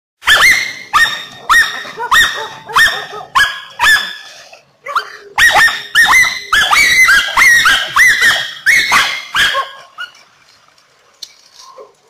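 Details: German hunting terriers (Deutscher Jagdterrier) Anja v Jagdwald and Bagira out on a walk: loud, sharp, harmonic barks in quick runs, about two a second, with a short pause midway and quieter sounds trailing at the end.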